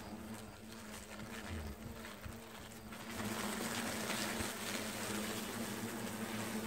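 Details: Hornets streaming out of their nest while it is being removed: a steady low buzzing hum under broad hissy rustle, swelling louder after the third second.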